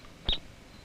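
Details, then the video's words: In the Canadian Rockies, a marmot whose den is in rocks gives a single shrill, high whistled alarm call, over in a split second, as timber wolves and their pups hunt it. "the wolves investigate the den, the second marmot moves to safety, and the pups hear its shrill alarm call."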